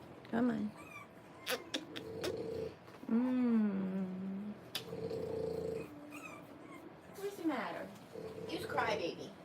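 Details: Three-week-old French Bulldog puppies, born 1/10/25, in a whelping litter, giving drawn-out, tonal whines that rise and level off, some long and steady, others brief, with human voices talking in the background.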